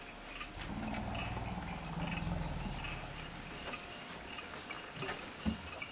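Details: Young elephant calf in a forest bai, kicked and harassed by another female while her alarmed family gathers and comes to chase the attacker off; a low, harmonic-rich drawn-out cry lasting about two and a half seconds, then quieter rustling.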